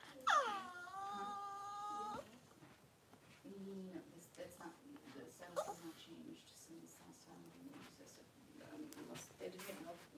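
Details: Cavalier King Charles Spaniel whelping, with Daisy delivering six puppies in two hours: a high, tonal whine drops sharply, then holds level for about two seconds before stopping, followed by soft murmured human voices in a small room.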